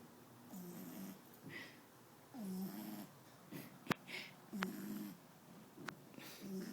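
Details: Elvis, an 11-week-old French Bulldog puppy, snores while asleep indoors: low, raspy nasal snores repeat roughly every two seconds, with a couple of sharp clicks between breaths.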